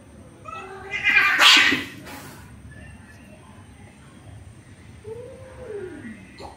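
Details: Orange male cat forcefully trying to mate with a female cat: a loud, harsh, broad wailing burst, then faint harmonic cries and a drawn-out wavering call that rises and falls near the end, over low background hiss.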